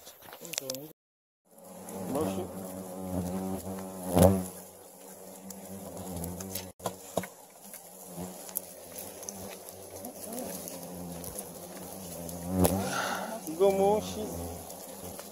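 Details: Asian giant hornets from a huge dug-out nest of about 2,300 hornets weighing 13 kg, captured by three people over three hours: a low droning buzz with stacked overtones, broken by voices, thumps and handling noises.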